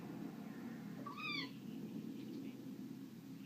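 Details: Pet Bengal cat Simba at play lets out a single brief arched meow, bright and tonal, over a constant low room hum with no other voices.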